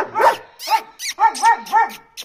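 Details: Adult male German Shepherd in Ajmer keeps barking aggressively at a visitor; a rapid run of about six loud, sharp barks in just over two seconds, coming closer together toward the end.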